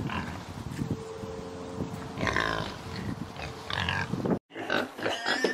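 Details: Pig grunting, low and throaty, continuing with some higher nasal squeaks and a steady hum behind. The sound cuts off abruptly near the end, then resumes with louder grunts and short squeals.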